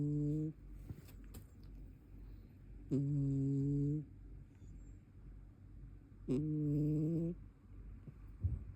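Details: Sleeping brown tabby cat snoring indoors: three low, steady droning snores, each about a second long, spaced roughly three seconds apart, with quiet breathing between them in a small room.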